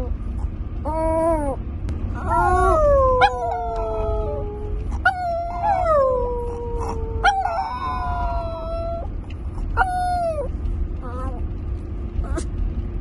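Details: A pet Chihuahua named Papi Chulo howls along in a vehicle on the morning drive home: long sliding, falling howls in repeated bursts, with a person's voice mixed in over a constant low road hum.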